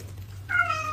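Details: Kitten meowing indoors: a single short meow with a clear harmonic stack, slightly falling, over a low steady hum.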